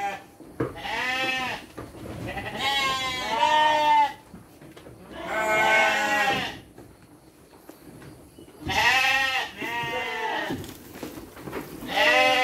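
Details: Domestic sheep at feeding time with dry feed, children present: loud, quavering bleats in bursts of one to two seconds separated by quieter pauses, several animals calling in turn.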